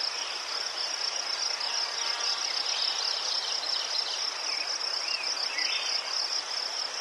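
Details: Steady high-pitched cricket trilling from a Ukrainian garden of chrysanthemums, an even shimmering band without pause, joined by faint twittering birds in the background.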